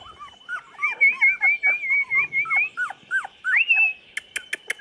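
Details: Chocolate Labrador puppies, 24 days old, recorded 8 November 2014: a run of high, whining whimpers and short yips, one long wavering whine near the start, then a sharp rising squeal, ending in a few dry clicking taps.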